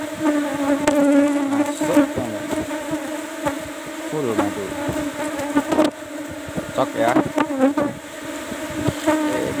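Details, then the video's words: Asian honey bees (Apis cerana) droning at kept hive box 17 while honey is taken; a steady hum with swooping pitch glides of bees flying near, knocks and scraping between. "PANEN MADU LEBAH APIS CERANA"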